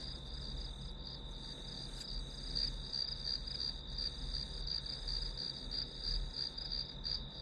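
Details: Grass insects heard as white noise during a one-hour study session: a steady high-pitched chirping, pulsing roughly three times a second without pause, over a soft low hum.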